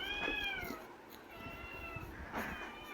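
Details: A caged pet kitten meowing to be let out of its cage, two drawn-out harmonic meows near the start and a shorter one near the end, with music and a woman speaking Tamil around it.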